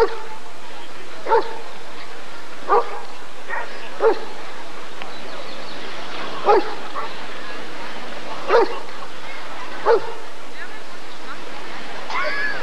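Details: At the ADRK breed survey in 1994 a Rottweiler barks in irregular bursts, about seven deep single barks over twelve seconds, some closer together, while people talk in the background.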